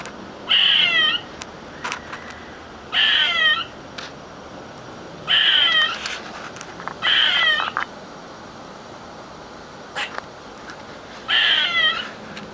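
A squirrel gives harsh, high, rasping screams in short bursts, repeated every two to three seconds.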